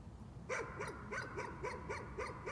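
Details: Rapid nuisance barking by a dog, a tight string of about eight high, clipped barks packed into two seconds after a brief quiet start.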